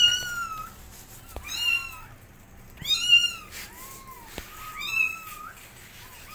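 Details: Loud kitten meows as a mother cat teaches her kittens how to walk: sharp, high arched cries with rich harmonics in clustered bursts about once a second, some softer lower meows between, and occasional knocks indoors.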